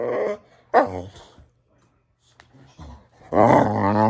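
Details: Samson the Boxer indoors, closely recorded: a short growl, a sharp rising yelp, a near-silent gap with faint rustling, then a loud sustained warbling growl.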